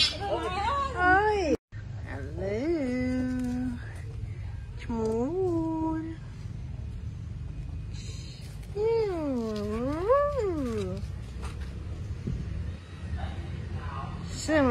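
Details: Pet cat at home meowing in a series of separate calls: drawn-out, arching meows spaced a second or two apart, one longer call sweeping up and down near the end, with low background hum between them.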